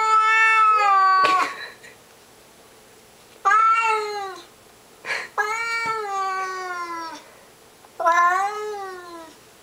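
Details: Pet cat Mr Mittens yowls belligerently at a stray lurking in the bushes outside, producing four sustained, nasal, harmonic cries of about a second each, some rising then falling, spaced by short silences.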